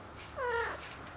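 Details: Cornish Rex kitten indoors with its caring mother cat; a single short thin meow, slightly rising then falling, lasting under half a second over a quiet room background.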